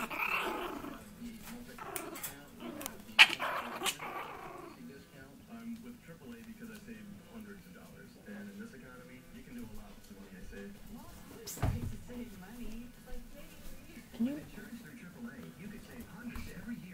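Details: Playful low growls from 6.5-week-old long coat Chihuahua puppies, steady rumbling with brief whines between. Sharp thumps and clicks come around the third and twelfth seconds, and faint voices sit in the background.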